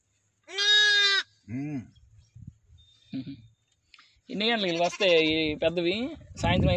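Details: One-day-old lambs in a village: a high, tremulous bleat, then a short lower one, faint rustling, and a long, strained bleat that breaks into another call.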